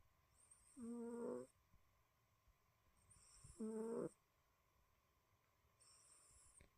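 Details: A sleeping tortoiseshell cat snores in a quiet room, giving two clear wheezy, tonal breaths about two seconds apart, each lasting under a second with a thin high hiss. A third, softer breath comes near the end, over a faint steady hum.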